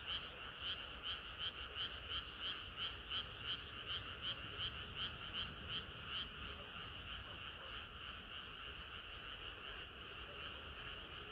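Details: Many frogs calling on a hot summer night. Sharp, evenly spaced croaking pulses stand out at first, then fade into a steadier, smeared chorus later on, over faint low rumble.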